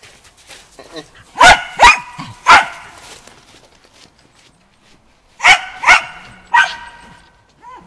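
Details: Shetland Sheepdog named Shaun during agility training on 11 November 2013, barking sharply in two bursts of three loud barks, with quiet gaps between and a little speech in the background.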